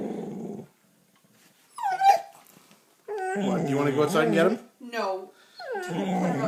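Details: A dog growling at a cat in the backyard gives a series of throaty growls, rough and tonal, swelling and dropping in short grumbling bursts, with a person's voice briefly heard nearby.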